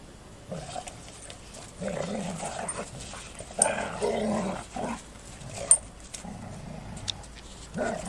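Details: Golden Retrievers playfighting give short rough growls in bursts, some louder and throatier, with pauses and soft scuffling between them.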